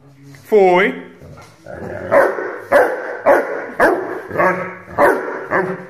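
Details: An 8-month-old Rhodesian Ridgeback puppy gives a rising whine, then a run of sharp barks about twice a second; Rhodesian Ridgeback.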